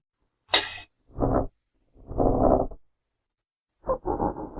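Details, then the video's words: Genet recorded in its natural habitat, giving a sharp hissing spit followed by three rough, low growling bursts separated by short silences, with no other sounds. "Real Genetta Sounds"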